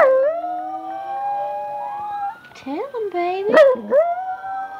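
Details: Domestic dog howling with its family during an evening session of watching videos: drawn-out tones rise and fall in swooping bends, with overlapping human-like voices joining in near the end.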